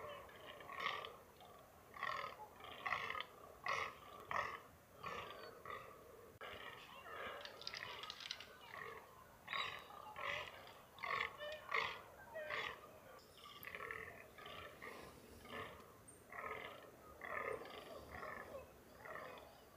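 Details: Rutting fallow deer, free-ranging in the NSW mountains, Australia, give a long run of rough, grunting groans, more than one a second, rising and falling in loudness, with faint background noise throughout.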